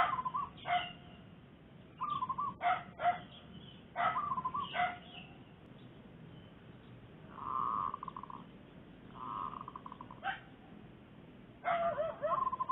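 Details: Barks from a dog with puppies in the Makassar Industrial Area during zebra dove trapping. Clustered sharp yelps come in bursts with pauses, and trilling, rolling zebra dove coos fill the gaps.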